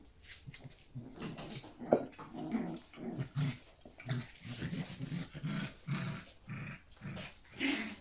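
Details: Yorkshire Terrier puppies playing with their mother indoors, running everywhere; bursts of low growls repeat roughly every half second, mixed with sharper yips and scuffling on the floor.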